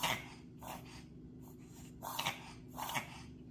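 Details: Puma the dog, allergic to pollen, reverse sneezing: a short series of harsh, breathy snorts, each lasting a fraction of a second and spaced about half a second apart, over faint background hum.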